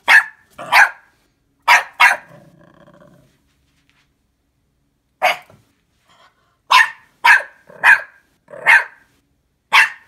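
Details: A wary new puppy facing Anja, a pet fox, barks in short sharp yaps, some in quick pairs, with a brief low grumble and a gap before a faster run of five more barks.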